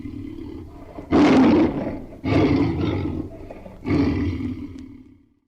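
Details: Tiger roaring three times, spaced about a second apart: loud, coarse, drawn-out bursts with a deep rumbling core, each trailing off before the next, ending in quiet.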